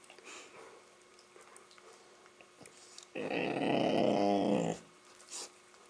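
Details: Labrador Retriever making a funny noise during play with a Rottweiler puppy, a sustained gravelly growl of roughly one and a half seconds with wobbling pitch, followed by a short huff and soft movement sounds.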